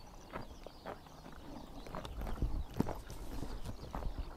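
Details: Horses grazing in morning sunshine in summertime Mongolia, tearing grass with rapid low thuds and crunching bites, a dense irregular run of soft snaps and shuffling.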